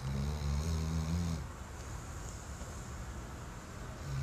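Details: Weimaraner asleep, giving one long, low, rattling snore of over a second, then quiet breathing and faint room noise.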